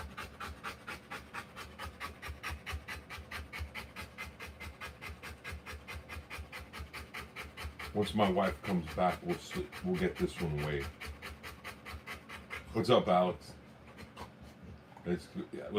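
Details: Rottweiler giving birth to puppies pants in fast regular breaths, while human voices talk over the middle and later part, partly masking the breathing.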